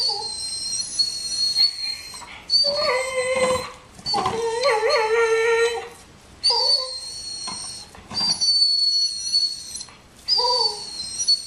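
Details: A dog named Nico, envious of Bandit's bone, alternates shrill high-pitched squeaks with mid-pitched whines that wobble up and down. Short breaths and pauses separate the bursts.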